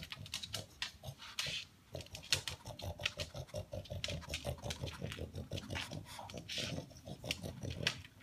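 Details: Pug, male, indoors, sniffing and snorting to locate leftover food pellets, sounding like a noisy vacuum cleaner; rapid rhythmic snuffling and snorts repeated several times a second throughout.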